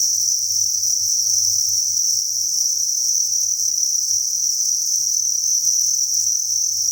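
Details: A crowded cricket farm produces a dense, shrill, continuous chirping chorus, high and even, over a faint low pulsing thud and light rustle.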